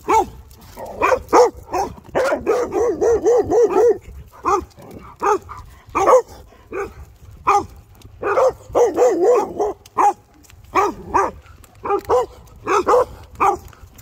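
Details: Quick, choppy barks from a guard dog come in clustered volleys and isolated single woofs throughout, a busy, insistent pattern with brief silences.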